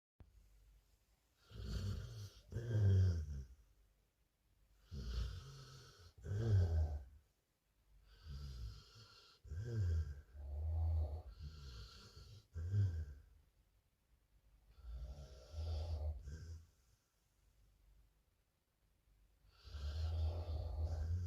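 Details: Sleeping pet pit bull snoring: deep, rumbling low snores in long breaths roughly every two to three seconds, with rasping overtones and quiet pauses between breaths.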